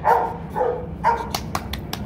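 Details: At a kennel, Rottweiler sire Bruno with his 7-month-old son Igor on the day they meet; three full barks about half a second apart, followed by sharp clicking taps.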